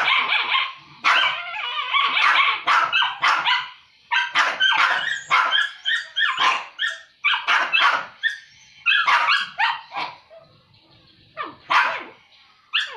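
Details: Two dogs scrapping over food, though normally on friendly terms; rapid choppy snarls and barks fire repeatedly, thinning toward the end into a few scattered yaps.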